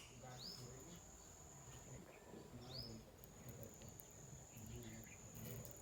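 A nocturnal insect holds a steady, high-pitched continuous trill, with low murmuring voices underneath.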